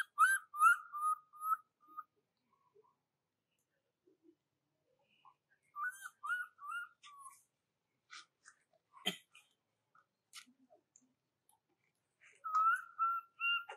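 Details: Baby monkey Jovi crying for her mother Joyce until falling asleep while in Rainbow's care. Whistled, slightly wavering notes in short bursts, with quiet gaps between bouts and faint clicks and rustling in between.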